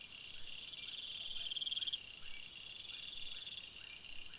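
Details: Crickets chirping at night in a forest: a constant high, shimmering insect chorus with a half-second burst of quick pulsed trilling, and soft lower chirps repeating roughly four times a second.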